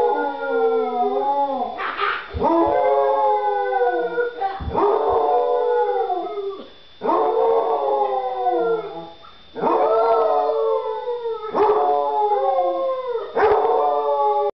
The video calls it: Boy Raised by Wild Basset Hound